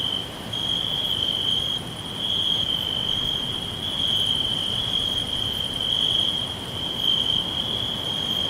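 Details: Crickets in a green forest give a steady, high-pitched trill that rises and falls slightly in loudness.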